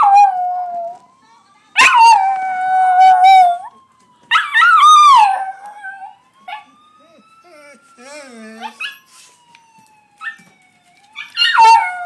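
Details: Johnny Rotten, a Miniature Pinscher/Chihuahua mix pet dog, howls in reaction to sirens in Grand Theft Auto: loud wavering bursts with rich harmonics, separated by quieter gaps where a gliding electronic siren tone carries on.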